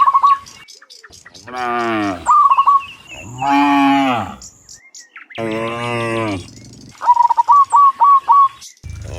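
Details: Dozens of cows being herded home from the fields to the pen in the afternoon. Three long, drawn-out moos rise and fall, mixed with quick, repeated whistled bird chirps and short trills.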